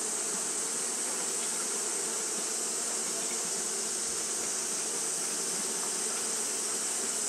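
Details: Continuous droning buzz of Japanese honey bees fanning through a hot day, even in loudness, with stacked low hum tones and a sustained shrill hiss high above.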